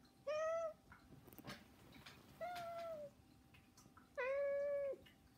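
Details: House cats begging indoors with no music added; three sustained, even-pitched meows, the last one longest, separated by soft rustling and light knocking sounds.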